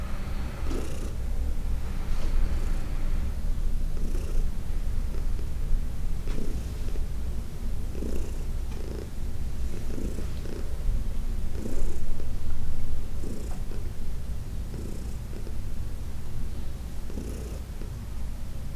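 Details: Massaged by hand, senior cat Heidi turns up the purr: a loud, deep continuous rumble, growing stronger midway, with breathy pulses repeating every one to two seconds.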